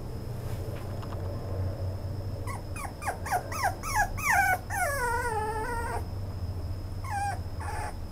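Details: Toy Poodle whining in a run of rising, bending high whimpers that build into a longer wavering cry, then two brief whines near the end, with low background rumble and a constant faint high tone.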